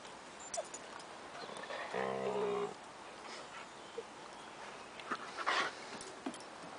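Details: Five-month-old Siberian Husky puppies Wolf, Chloe and Bandit play with two-year-old Gibson and three-year-old surrogate mother Harley in summer 2008. A single drawn-out, harmonic whine-howl lasts under a second, surrounded by faint scuffling and brief clicks.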